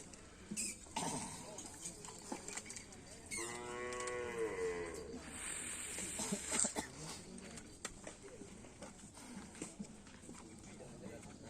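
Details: Karapan sapi racing bulls in training at an Asemanis field, Indonesia, before an event: one drawn-out, harmonic moo lasting about three seconds, then crowd talk, rustling and thumps.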